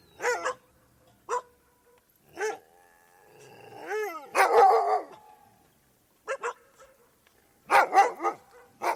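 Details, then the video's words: Dogs barking and howling, with short sharp barks spaced a second or more apart, then a drawn-out rising, wavering howl that blends into a loud burst of barking, followed by more clipped barks. "Dogs Barking And Howling"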